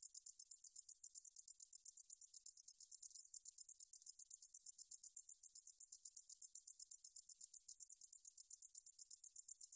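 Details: Continuous rapid ticking buzz from a meadow katydid (등줄어리쌕쌔기), 2020, Korea's National Institute of Biological Resources. The very high, insect-like pulses hold an even rhythm throughout, with no other sounds.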